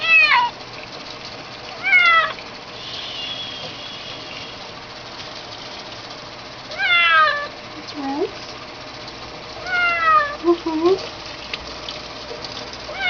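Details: While being bathed, a kitten meows repeatedly, about six short to medium cries spread irregularly over thirteen seconds, some bending down in pitch, with quiet human talk in between.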